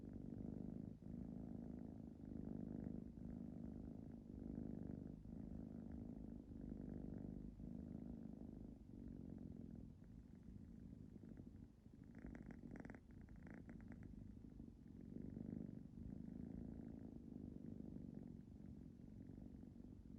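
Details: Nagi, a Ragdoll cat, purring and drifting into snoring-like sleep: deep, even pulsing rumble on each breath, briefly louder with a rougher buzz near the middle, otherwise quiet and continuous.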